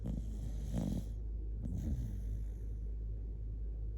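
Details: Kotetsu, a Shiba Inu dozing while snuggled against its owner, gives two loud, gravelly snores about a second apart, each a short rasping rumble, then quiet low hum.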